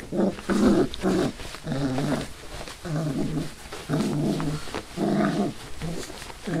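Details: Five-week-old Labrador/hound mix rescue puppies give short, low harmonic growls in rapid bursts, each lasting under a second and coming roughly once a second, with brief gaps between them and a little background noise.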